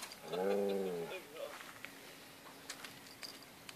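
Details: Alaskan Malamute puppies, seven weeks old, at play; one clear drawn-out whine lasting about a second with a wavering, slightly falling pitch, followed by a short squeak, then quiet background with faint clicks.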